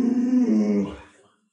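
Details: Pet Alaskan Malamute Lulu indoors lets out a short, low, groaning howl, wavering slightly and sinking in pitch over under a second before fading out. A person speaks just before and after.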